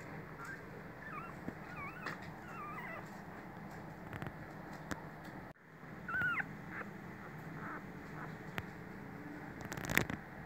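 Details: Four Toy Poodle puppy littermates give faint, high, wavering whimpers and squeaks in the first three seconds and again near six seconds, over a steady low indoor hum with occasional clicks.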